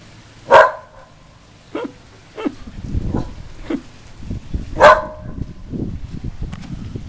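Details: Female whippet in sunny South Florida reacting to the Goodyear blimp overhead; two loud, sharp barks about four seconds apart, with softer, muffled barks between them over rustling, low background noise.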